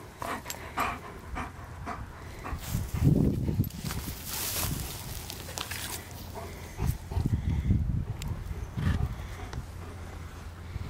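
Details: Male German Shepherd Dog Viking Ruen vom Theishof, called Rue, panting in a pasture after retrieving blown-in trash and being rewarded with his tug toy; low, breathy, irregular huffs come in bursts while a woman praises him.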